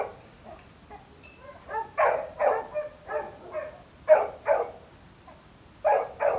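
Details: Labrador Retriever barking, starting faint and sparse, then building to strong, ringing barks often in pairs, a brief lull, and a final loud double bark.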